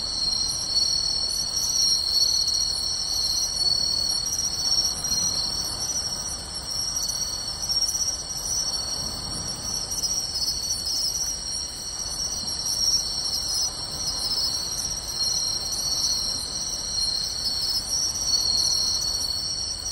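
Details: Pine crickets, bell crickets and other insects calling together from beachside grass at night in summer, Tainai, 24 August 2020; unbroken high ringing drone with periodic short chirps layered on top, evenly loud.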